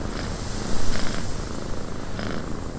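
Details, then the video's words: Cat purring in a windy cabin, a low rumbling purr pulsing steadily beneath broad wind noise, with a few louder breaths in the middle. "Cat Purring in a Windy Cabin"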